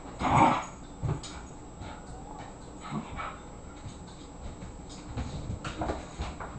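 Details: A 24-pound Irish Terrier boxing in play with an 18-pound housemate: one short, loud whining yelp at the start, then quiet scuffling, soft thumps and faint little whimpers.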